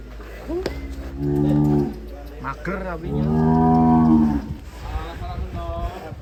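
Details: Cow in Indonesia lowing twice, deep drawn-out moos of about a second each with clear stacked harmonics, the second longer and swelling, over a low steady hum and faint background voices.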